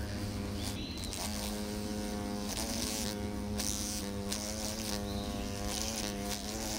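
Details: Hornet caught with tweezers gives a steady droning buzz of stacked harmonic tones that waver slightly in pitch and swell and ease across several seconds. Brief clicks and bursts of handling noise break in.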